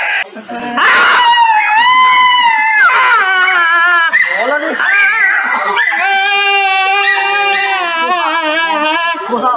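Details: Dog reacting to being given an injection: loud, drawn-out wavering cries with rich harmonics, rising and falling in pitch, some held notes with vibrato, in a small indoor room.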